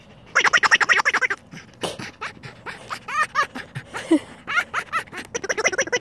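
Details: Finnegan the rescue red fox at play with a new toy: quick pulsed chattering bursts broken up by squeaky rising yelps and short clicks, with faint human sounds in the background.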